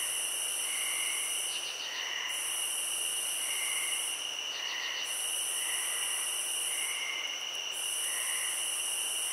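A chorus of crickets trills in a steady, shrill drone, with softer chirps repeating about once a second.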